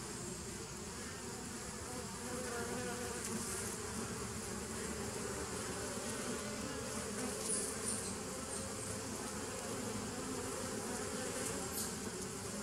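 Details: Bees recorded on 27 September 2018, giving a steady, dense droning hum with low buzzing bands throughout and faint higher whines drifting over the top.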